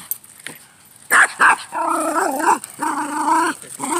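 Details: Female domestic dog barking at another energetic dog during a walk as her owner tries to pick her up with cars approaching: two sharp, loud barks in quick succession, then drawn-out wavering whine-like tones.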